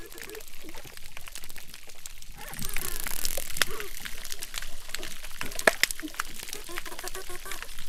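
Underwater crackling from crustaceans, a dense stream of sharp clicks and pops.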